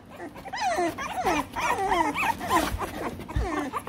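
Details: American Bully puppies, three weeks old, kept in the United Kingdom, give wavering high whimpers in bursts, each call bending up and down, with faint human voices in the background.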